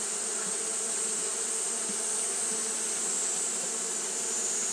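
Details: Short stretch of Japanese honey bee fanning on a hot day: a constant, dense wing buzz, low humming tones beneath a bright even hiss.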